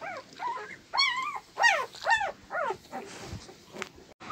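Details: Husky puppy crying in a run of arched, rising-then-falling whines, about eight short notes in four seconds, some loud and piercing, over quiet room noise.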